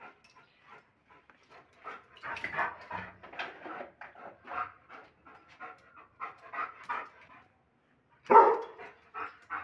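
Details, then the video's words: Rowdy German Shepherd dog barking aggressively: a run of short, rough, irregular bursts with panting-like breaths between them, ending in one sudden loud bark near the close and a few softer sounds after it. "ROWDY GSD POWERFUL BARKING 😱😱 AGGRESSIVE DOG 🐶🐶 BARKING SOUND"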